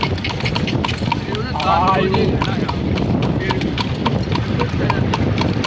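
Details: Horse pulling a cart on a night-time ride, hooves striking the road in a steady clip-clop of sharp knocks, with a low rumble of wheels and a brief voice midway.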